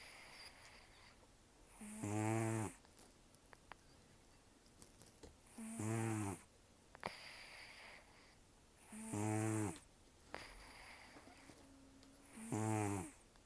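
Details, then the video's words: Loud sleep snoring from Taro, a protected cat aged roughly 10 to 14 with hardly any teeth: four coarse vibrating inhalations spaced three to four seconds apart, with soft nasal hisses and faint clicks between. "ねこのいびき 猫 いびき"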